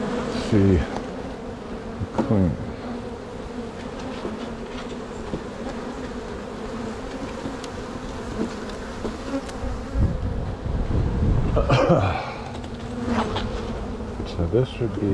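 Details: Honey bees buzzing steadily at an open hive during a spring walk-away split, done because two strong colonies were likely to swarm; a low continuous hum with brief knocks and handling noises.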